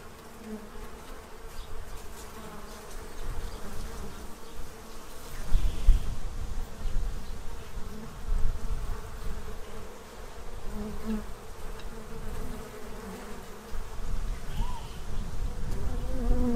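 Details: Bees in Central Illinois feeding from a tray ahead of winter, their buzzing drone running under heavy low rumbling that swells and fades, with a few brief higher tones breaking through now and then.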